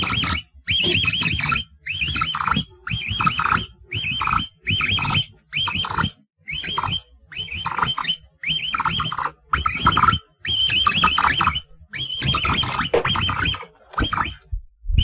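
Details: Capybara calling in a series of short bursts, each roughly a second long with brief silent gaps, combining high chirping whistled notes over a rough, noisy low rumble.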